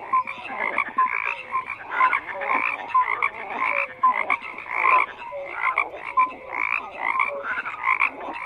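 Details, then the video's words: Frogs croaking in a thick chorus, rhythmic bursts of grating croaks roughly once a second, interspersed with brief bright tonal notes, continuous throughout. "FROGS CROAKING"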